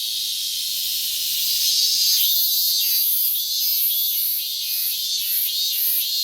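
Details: Minmin cicada on 12 August 2019, calling throughout the morning in a year of late emergence; its intense, high buzzing throbs in quick repeated pulses, a little over two per second, growing louder toward the middle.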